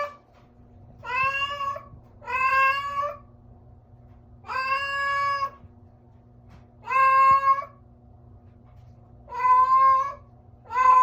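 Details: Domestic cat giving a strange sound: six drawn-out, nasal meows, each about a second long with a slight rise then fall, spaced irregularly over eleven seconds, over a faint steady indoor hum.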